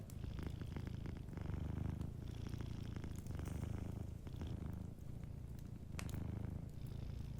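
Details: A sleeping cat purring softly beside a cozy fireplace, the low rumbling purr swelling and fading in cycles about every one to one and a half seconds, with crackling fire pops scattered throughout.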